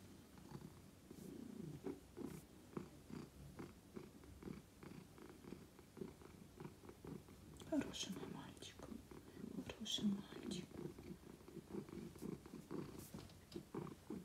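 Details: Simba, a male domestic cat, purring indoors while greeting his owner as she comes home after a long day; a steady pulsing purr runs throughout, with a woman speaking soft Russian endearments over it.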